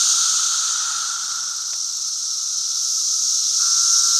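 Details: Massed calling of periodical cicadas, Brood V, during their 2016 emergence on May 31: an even, high, steam-like hiss with a faint lower droning tone, a single soft click near the middle.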